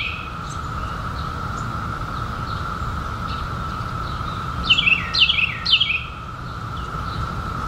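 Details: Emerging in 2021 after seventeen years below ground, periodical cicadas hold a constant monotone whirr. Around the fifth second a short burst of three or four sharp falling bird notes rises above it.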